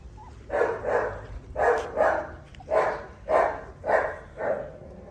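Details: Tibetan Mastiff puppies barking steadily: six or seven hoarse, full barks, each roughly half a second to a second apart, over a quiet background.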